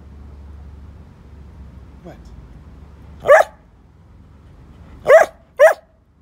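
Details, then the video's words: A chatty grown-up Bedlington Whippet Lurcher gives a soft faint yip, then three sharp short barks spaced irregularly, the last two close together, against quiet indoor background noise. "Chatty Bedlington Whippet Lurcher"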